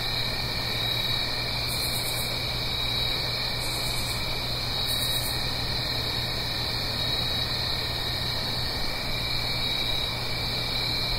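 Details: Fall crickets at night in the Blue Ridge Mountains, a stream below. A constant high-pitched trilling drone, joined by three short, very high, pulsed buzzes at roughly one-and-a-half-second intervals early on, with a steady watery hiss throughout.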